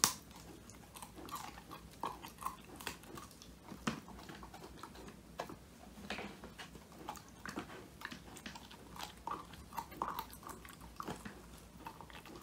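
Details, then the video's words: Woody, a male Old English Sheepdog born 22 January 2019, crunching a whole handmade quail treat, his first treat, recorded indoors on a phone; dense, irregular crisp crackles and bone-crunching bites run continuously over a faint steady low hum. "통 메추리 오독오독 수제간식 먹방"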